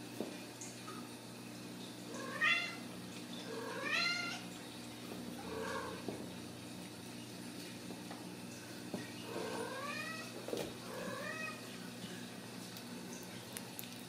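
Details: Ragdoll kittens raised indoors in a home cattery in central Kansas, not kept in cages: a series of short, rising-then-falling mewing calls, several in quick succession and then a pause before more, over a steady low hum.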